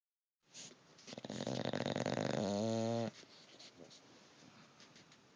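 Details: Sleeping bulldog snoring indoors: one long, buzzy, rasping snore lasting about two seconds. It starts rough and broadband, then turns into a steadier tone with stacked harmonics before cutting off abruptly. Quiet room noise follows.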